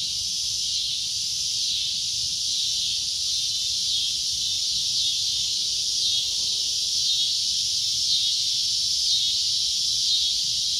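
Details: Cicada giving a loud, shrill, unbroken drone, a steady high hiss that holds level for the full length with no breaks or pauses.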